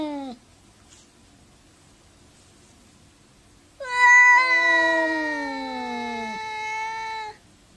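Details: Cats talking to each other: a brief falling meow, then a long silence, then a loud, sustained, wavering yowl lasting about three seconds that slowly drops in pitch.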